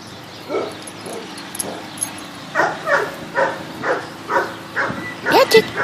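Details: Patrick, a Bichon Frise poodle up for adoption at the Animal Compassion Team Sophia adoption center, barks while playing; sharp barks come about every half second in the second half, with a person talking over them.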